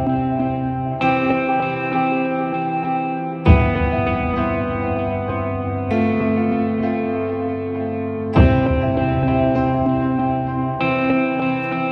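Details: Echoing electric guitar chords ring out and sustain, with a fresh strum roughly every two to three seconds; only music is heard.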